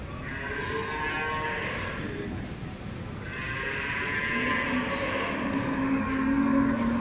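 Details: Beefmaster cattle at the Expo Guadalupe 2019 show, females being judged; long harmonic moos rise over a steady crowd hum, one early and a louder drawn-out one in the second half.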